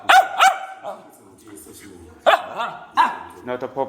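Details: Dog begging on command indoors, told to ask nicely; sharp harmonic barks, two quick ones at the start, then two more near the middle, ending with a short whining yelp, over quiet room tone.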